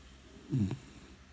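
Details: Brown Labrador Retriever puppy, four months old, asleep and snoring loudly: a single short, low, rough snort-like snore swells and fades within half a second in a quiet room.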